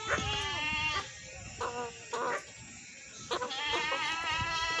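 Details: Several goats bleat in overlapping, quavering cries. Short choppy calls in the middle are followed by a longer, trembling bleat that fills the final second and a half.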